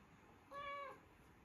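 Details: Siberian Forest kitten indoors giving one short, clear meow lasting about half a second, steady in pitch and dipping slightly at the end, over a faint steady background hiss.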